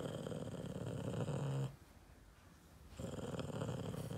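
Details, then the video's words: Yoda, a Boston Terrier disliking his Christmas treat, rumbles in a low, throaty, vibrating grumble, pauses for about a second, then resumes the same deep purring growl. "Boston terrier dog Yoda is not very impressed with his Christmas treat"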